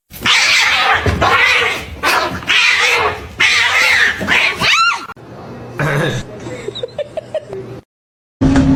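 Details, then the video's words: Cat, shown as a kitten, giving loud, harsh, noisy yowls in several bursts, ending in a rising then falling wail, with short squeaky cries and people talking afterwards. "kitten meowing call"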